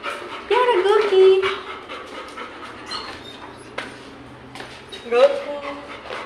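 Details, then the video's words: Goku, a playful pet Labrador Retriever at home among his toys, gives drawn-out, wavering whines that rise and fall, twice, between bouts of panting, while a person coaxes him to come and play. "Labrador🐶 की नटखट Mastii 😁|| आपको Labrador 😉की शरारत कैसी लगी😆"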